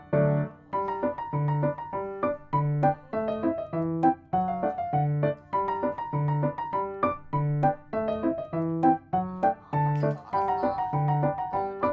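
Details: Gentle piano music with a repeating chord pattern plays throughout, with no animal sound.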